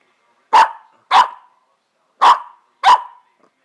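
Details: Fourteen-week-old Pembroke Welsh Corgi puppies barking because they want a toy hidden under the couch: four sharp, clipped barks in two pairs, each pair about half a second apart, with silence between and no other sounds.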